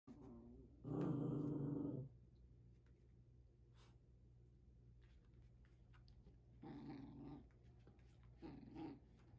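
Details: A tiny Maltese (tagged Maltipoo) that never backs down lets out a loud, throaty growl, then two shorter, quieter rumbling snarls.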